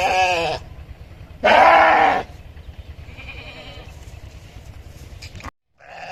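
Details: Sheep giving a short bleat, then a louder and longer wavering bleat, followed by fainter, softer calls over a low background hum.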